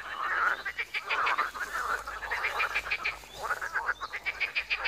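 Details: A loud, close frog chorus at a pond in Wiry: fast rattling croaks stacked into rapid pulses, several frogs calling at once without pause.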